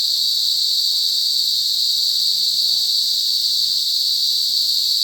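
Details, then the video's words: In a forest, cicadas make a loud continuous whining buzz, high and flat in pitch, constant from start to end of the short stretch. "cicadas lound buzzing noise in forest"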